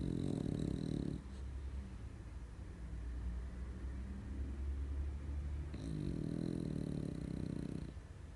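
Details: French bulldog snoring in its sleep after rolling over: a low, grating snore at the start, a softer breathy lull, then a second rattling snore about five seconds later.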